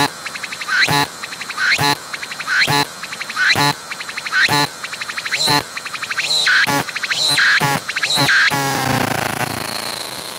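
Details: Cicada filmed close with an Oculus Go 180-degree 3D VR camera: rhythmic pulsed phrases with rising buzzy sweeps and sharp bursts about once per second, later running into a continuous rasping buzz that fades to hiss.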